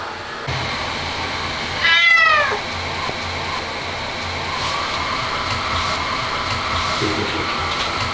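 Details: Ragdoll cat named Aman, a cat that hates baths so much it screams yet stays cooperative, gives one loud harmonic yowl rising then falling around two seconds, over steady mechanical hum, likely a bathroom fan or dryer.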